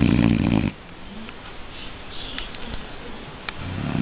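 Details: Shar Pei snoring: one short, deep, rattling snore at the start, then soft breathing and a faint rising snore as it ends.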